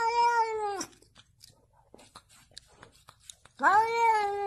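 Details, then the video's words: A pet cat gives two drawn-out, rich meows, the first falling at the end and the second rising then levelling off. Between them there is a quiet pause with soft clicks, and a person speaks Russian afterwards. "Funny cats talking cute words"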